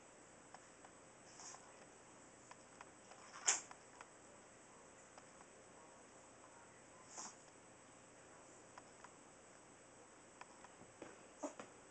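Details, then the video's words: Tiny Chihuahua Max, weighing two and a half pounds, lets out one sudden burst of a sneeze, with a softer snort a few seconds later and light clicking noises in an otherwise hushed room. "Sneezing Chihuahua"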